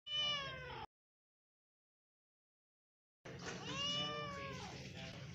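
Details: Domestic cat giving a loud, harmonic-rich meow, then a gap of silence, then a longer, wavering meow that swells and fades.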